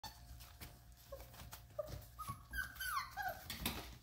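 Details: 33-day-old Vizsla puppies whimper and squeak in thin, high, wavering notes that rise and fall, near their mother.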